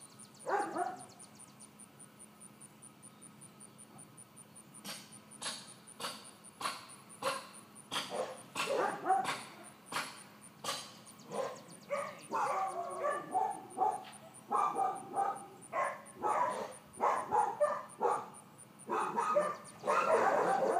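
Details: Excitable four-month-old miniature dachshund puppy Georgia, in training to calm down when greeting and interacting. Her yips and short barks repeat in irregular bursts for about fifteen seconds, mixed with sharp tapping clicks and growing louder toward the end.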